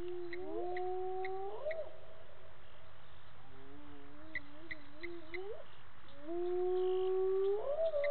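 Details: Spotted hyenas call at 18:30 on 10/11/18 near Gowrie dam waterhole, Djuma Game Reserve, Sabi Sand, South Africa, giving long, rising whoops, several voices overlapping and sliding upward in pitch.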